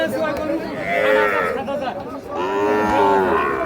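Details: Sahiwal bull calves at Ambari cattle market, Parbatipur, Dinajpur, 19 April 2026; two drawn-out, harmonic moos, the first rising and falling, the second longer and wavering, over a busy crowd murmur.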